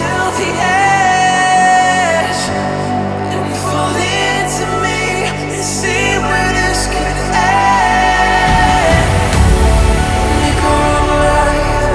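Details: Pop music with a sung vocal line over electronic beats and a steady bass; no animal sounds are heard.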